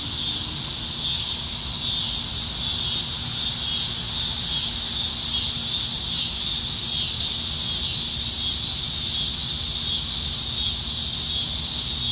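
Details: Evening cicadas in Nebraska trees during the dog days of summer, July 2019: an intense, high, rasping buzz sustained without pause, swelling and easing slightly in a rapid, uneven throb over a soft low background.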